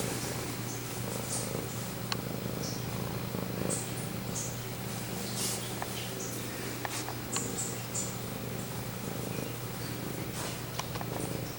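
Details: Steady, low, continuous purring from a male domestic cat held close to the camera, with faint clicks and small rustles throughout and no meows.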